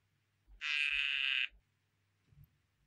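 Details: Poison dart frog producing a single harsh, buzzy note lasting about a second, steady in pitch, set against a quiet background with a faint low murmur.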